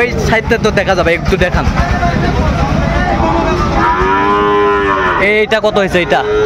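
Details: Sahiwal bull calves, part of a group of 24 bought by a farmer in Jashore, Bangladesh, on 12 September 2025, lowing at a market; long harmonic moos rise and fall amid a busy background of voices and clatter.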